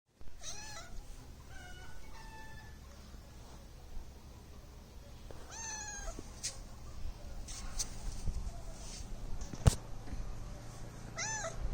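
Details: Domestic cat meowing several times: a short opening mew, then a few faint, thin calls, a clearer mew near six seconds and another rising-falling mew at the end, over a steady low background hum with occasional clicks.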